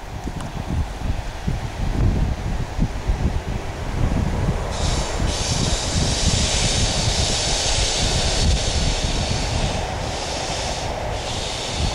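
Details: Steady low rumble of a passing train or heavy vehicle, with a broad hiss building after about five seconds and no animal voice heard.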